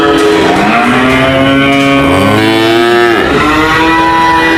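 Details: Cattle lowing, one cow's long moo swelling and dipping in pitch with strong harmonic bands, a second lower moo joining midway, over constant hiss-like background noise.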